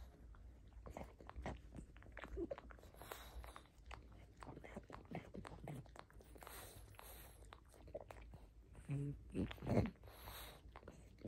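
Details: Pug greedily chewing a rope toy indoors, close-miked: soft irregular crunching and gnawing clicks throughout, a few louder bites near the end, low room rumble underneath.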